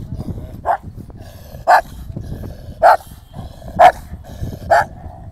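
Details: Rottweiler meeting an aggressive street dog: five sharp, loud barks about one second apart over low rumbling background noise.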